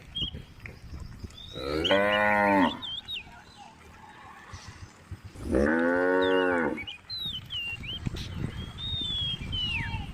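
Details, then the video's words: Two separate moos from a female cow in a tame group along Jalan Kampung, each about a second long, rich and nasal with a falling end, spaced roughly four seconds apart; birds whistle and chirp behind them. "group of tame cows on Jalan Kampung, sound of a female cow"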